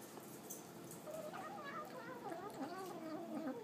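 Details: A kitten growls while eating, a low, wavering, rasping tone rising and falling unevenly, described as alien-like; finding: cat.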